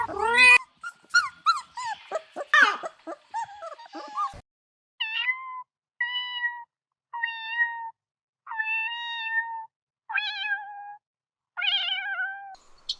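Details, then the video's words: Kittens at play on grass, starting with a quick jumble of short, varied mews, then a run of six evenly spaced, steady, flat-pitched meows about a second apart, each clean and tonal in a quiet setting. "Relaxing Cat Sounds"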